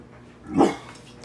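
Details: One short, sharp bark from a pit bull with a recurring toenail infection, indoors, rising and falling quickly over a low background hum.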